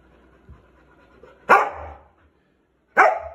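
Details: Lauda the racing dog, a Poodle, going crazy: two loud, sharp barks about a second and a half apart, each with a brief trailing ring, separated by quiet room silence.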